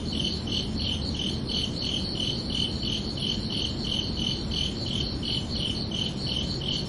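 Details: Crickets at night during summer produce shrill, repeated chirps in a steady beat near three per second, two bright high tones pulsing together above a faint low ambient rumble.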